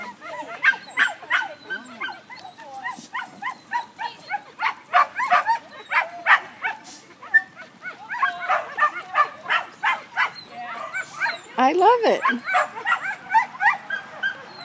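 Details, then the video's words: German Pinscher barking during a first sheep-herding lesson, a rapid irregular series of sharp yips and barks, about three per second, with a rising whine near the end, alongside talking people. "german pinscher Remme and Robyn herding sheep first lesson"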